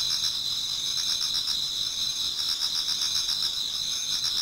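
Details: Autumn insects in a Japanese garden near dawn, a continuous high-pitched chorus of overlapping trills pulsing about four times a second over a steady ringing hum.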